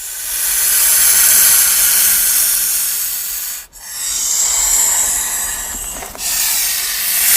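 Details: King cobra hissing and breathing heavily as a warning signal or when fighting an enemy: long broadband breathy hisses, each lasting about three seconds, separated by brief pauses, strongest in the high register.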